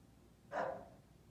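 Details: English Bulldog Jasper, described as bossy, lets out one full, mid-pitched bark lasting about half a second and trailing off quickly. The background is otherwise quiet.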